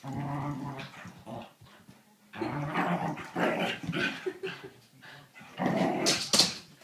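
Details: A whippet plays, giving a steady low growl at first, then a pause and a longer run of rough, pulsing growls and grumbles, ending with a bright clattering noise.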